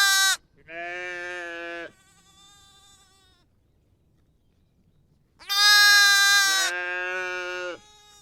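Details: Lamb and sheep calling: a brief high bleat, then a steadier, lower, longer one, a pause, and a loud, strained, wavering bleat followed at once by a deeper answering bleat.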